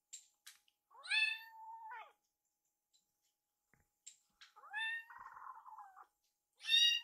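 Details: Baby foster kittens indoors eagerly beg as warmed wet food is readied. Drawn-out meows rise sharply, hold steady and then drop, with brief pauses of quiet between them and a final loud meow.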